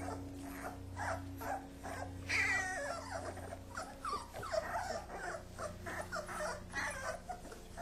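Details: Kuvasz puppies wrestling under their father's watch: continuous rumbling growls and snarls, one squealing yelp early on, and shuffling bodies, with a low steady hum beneath.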